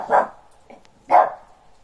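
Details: A Shih Tzu gives two sharp, mid-pitched barks about a second apart, barking at the neighbours' dogs during playtime.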